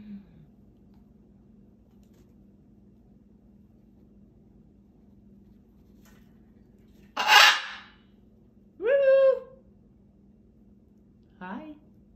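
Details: Puppies giving a short harsh burst, then a high, ringing yelp that slides downward in pitch, and finally a brief, softer yelp, all over a steady low electrical hum.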